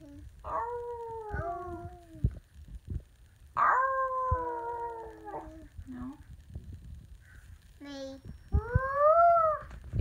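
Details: Samoyed howling with her sister indoors: several long, falling harmonic howls, a short yip-like cry and a higher wavering wail, ending with a rising then falling howl; occasional soft thumps between calls.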